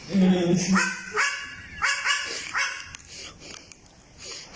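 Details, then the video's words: Baby goat from the Philippines producing dog-like barks, a run of four rasping yelps about twice a second, overlapped at the start by a low human voice. "BABY GOAT WITH IDENTITY CRISIS | Thinks that he is a dog"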